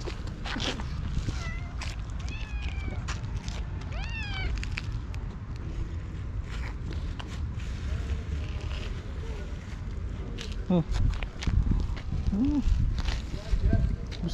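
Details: Female white tabby stray cat, very hungry, meowing loudly for a long time beside the people she missed: a run of quick high rising-falling meows, then lower drawn-out ones, with Turkish speech and outdoor background noise.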